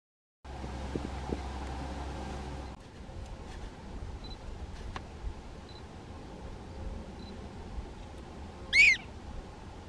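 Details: In a small North Dakota prairie dog town, one sharp, rising, stacked chirp from a prairie dog rings out near the end after quiet stretches, over a low background hum. Filmed with a Canon SX70HS.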